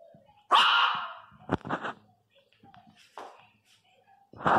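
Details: Three-month-old Miniature Pinscher puppy crying very loudly: a sudden shrill, drawn-out yelping cry, then shorter yelps and a final loud cry, with a person speaking Portuguese between them.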